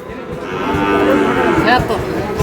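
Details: Market-day scene at Ambari, Dinajpur, Bangladesh, on 11 May 2026 as Sahiwal bull calves are sold: a moderate, even moo of about one second rises out of the background, with a busy crowd and nearby voices haggling.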